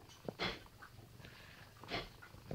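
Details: Indoors, the pet cat Sammy answers the owner during a dispute over a stolen chair with two brief, bright meows about a second and a half apart against a quiet room hush.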